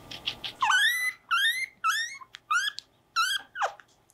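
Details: Pet guinea pig Mopuko being brushed and having its nails clipped indoors, giving a series of about six loud rising squeals, each with a bright harmonic stack, spaced roughly half a second apart, ending with a short falling squeak; faint background murmur.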